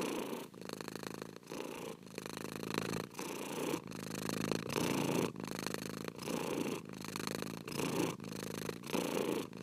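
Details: A cat purrs continuously in even rhythmic cycles just under a second long, each pulse a grainy rumble separated by brief breath pauses, steady and unhurried throughout.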